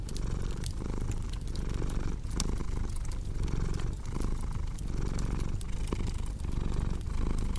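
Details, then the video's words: Domestic cat purring steadily with a low, rumbling drone pulsed in slow breaths about every 0.8 seconds, mixed with crackling fireplace pops and snaps. "Purring Cat with Cozy Crackling Fireplace Sound"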